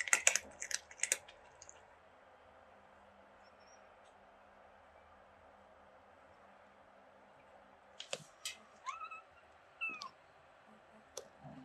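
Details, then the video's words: Young kitten in Greece giving its beeping sounds: after several seconds of near quiet and a few opening clicks, a quick run of four short, bending chirps, some rising and some falling. "Cute Kitten Mira making sweet Beeping Sounds"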